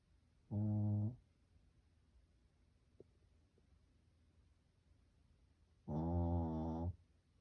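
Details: Pet Shih Tzu named Dungi asleep and snoring: two low, buzzy, droning snores roughly five seconds apart, the second longer at about a second, with near silence and a couple of soft ticks between.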